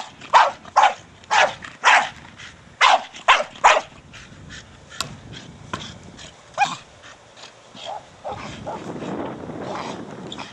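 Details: Staffordshire Bull Terrier Brogan, four years old, at play with his big hard plastic ball, lets out a quick run of loud barks early on, then softer scattered yips and a rustling scrape toward the end.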